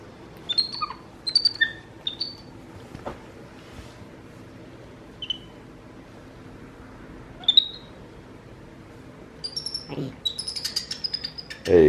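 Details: Pet capuchin brothers MonkeyBoo and MonkeyHappy communicating indoors: sparse high twittering squeaks with long quiet gaps, a busier cluster of chirps near the end, plus a few thumps and handling noises.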